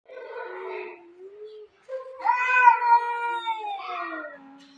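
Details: Two domestic cats fighting at home: drawn-out harmonic yowls, a lower wavering moan, then a louder rising and falling wail with rich overtones that fades into a low growl-like tail.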